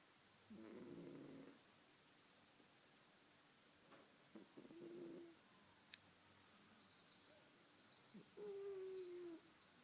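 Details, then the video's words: Pet cat snoring while asleep indoors: soft, noisy breathing bursts with a faint whistling tone, the loudest near the start and end and a smaller one in the middle, in a quiet room. "My cat, sleeping and snoring"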